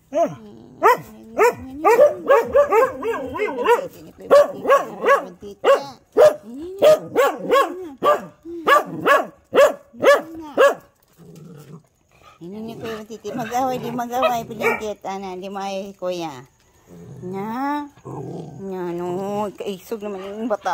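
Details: Domestic dogs, including a small female, woken early in the morning by a siren alarm; rapid run of sharp barks and yips for ten seconds, then long quavering howls with wavering pitch, several dogs overlapping.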